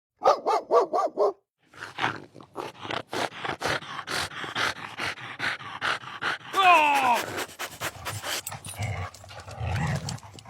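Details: Puppy trying to bite during training: five quick high yapping barks in the first second, a short pause, then a long run of rhythmic breathy bursts like panting, a brief rising whine, and rustling noise toward the end.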